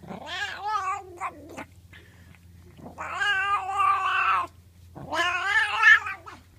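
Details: A pet cat, enjoying a scratch, lets out three drawn-out, wavering caterwaul-like meows, each lasting about one to one and a half seconds and separated by short pauses, over a faint steady low hum.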